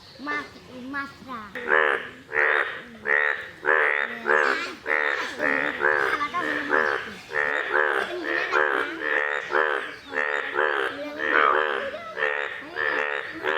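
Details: Indian bullfrogs (Hoplobatrachus tigerinus), yellow-coloured, in a pond give loud, nasal, honking croaks in an overlapping series, roughly one or two each second.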